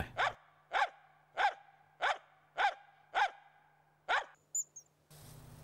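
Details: Finnish Spitz, a breed used in moose hunting, giving seven sharp, harmonically rich barks at a steady pace of roughly one every 0.6 seconds, followed by a short high squeak and a burst of rustling noise.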